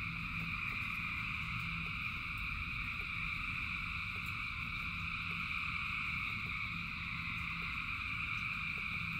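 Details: Rainy night chorus of thousands of frogs: even, overlapping trills at several pitch levels fill the whole stretch, with steady rain hiss and low rumble beneath.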